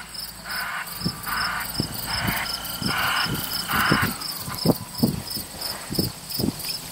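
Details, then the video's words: Sow with sixteen newborn piglets only a few days old, mother being protective, near Kingston, Ontario, Canada: short bright bursts repeated under a steady cricket-like hum, then low rhythmic grunts about once per second. "16 whee whee whee new PIGLETS"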